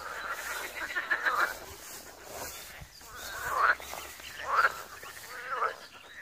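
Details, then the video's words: Frogs at a pond in Wiry, Poland, giving rough, drawn-out croaks roughly once a second, loose and irregular in rhythm, over a soft hiss of background noise. "Żabi stawek, kumkanie, rechot żab"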